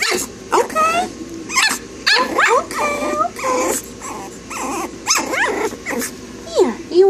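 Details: Smooth coat Brussels Griffon female puppy in Texas, whining and whimpering in a series of short rising and falling cries, high and nasal, some bending upward at the end, while a woman speaks soothingly nearby.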